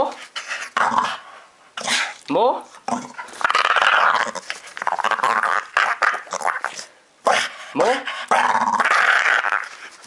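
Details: A two-year-old pet dog grumbles and growls while asking to be scratched more, recorded in July 2012. Rough, throaty bursts alternate with short whiny upward sweeps, and a person talks over and between them.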